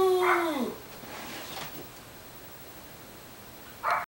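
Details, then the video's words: Small dog in boarding care on Long Island, New York, ending a howl with a falling tone, then quiet room noise and a brief short yip at the end. "Munchkin Howl"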